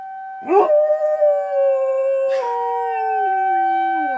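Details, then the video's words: Riley the dog howls at a tornado siren. A sharp onset gives way to a long, drawn-out howl that slowly slides downward in pitch and trails off lower near the end. The siren's steady wail holds underneath throughout. "Riley howling at the tornado siren"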